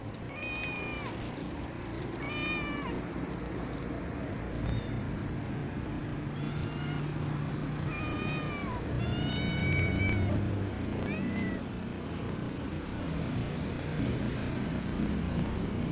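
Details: A mother cat and her three kittens. Several short, high meows come at irregular intervals, some rising and some falling, over a constant low rumbling background noise.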